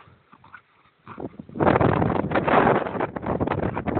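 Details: Two dogs, one an Irish Terrier, playing wildly together; quiet start, then from about 1.5 seconds a dense, continuous rough growling and scuffling that stays loud to the end.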